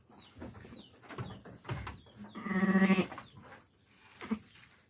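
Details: Sheep during lambing, giving one loud, wavering, harmonic-rich bleat lasting about half a second near the middle, with softer shuffling, rustling and faint short high chirps around it.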